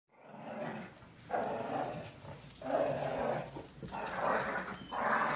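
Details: Female cocker spaniel growling in play while someone pretends to take her toy; low, rough rumbling growls come in long sustained bursts, about four across five seconds, separated by brief breaths.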